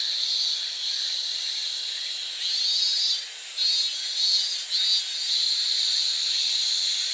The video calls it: 매미가 ㅎ 매미소리 ㅋ